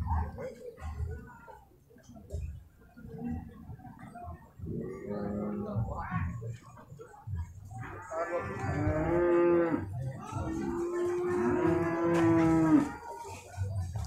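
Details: Beef cattle at the Purwakarta livestock market on Monday, 15 July 2024: a short moo, then two long, loud, droning moos about four seconds apart, with background music and traders talking.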